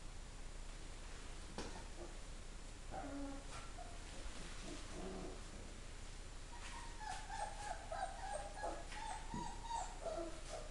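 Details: Motherless greyhound puppies at four weeks, soft scattered whimpers early on, then a longer run of wavering, drawn-out whines in the second half, low room rumble underneath.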